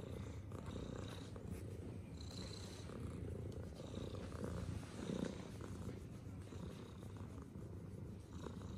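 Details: Low, even purring from a tuxedo cat giving affectionate love bites, a dense rumbling drone with gentle breath-linked swells throughout and faint soft rustles on top.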